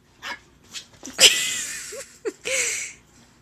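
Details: Yorkshire Terrier puppy, a female alone in a pen and missing her sister, during play: scattered short yips build to a loud, sharp bark, then a drawn-out whine and two quick rising squeaks, with a woman's voice at the end.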